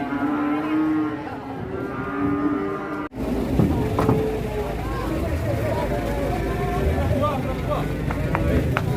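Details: Agitated cattle in Indonesia: a long wavering moo for the first three seconds, then a sudden cut to noisy scuffling, clatter and people talking.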